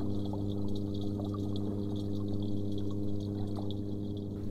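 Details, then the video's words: Angry toadfish expressing displeasure by vibrating its swim bladder underwater: a steady, low droning hum with layered harmonic tones, sprinkled with faint clicks and crackles. "ou exprimer leur mécontentement écoutez encore comment le poisson crapaud en colère fait vibrer sa vessie natatoire [Musique] [Musique] en"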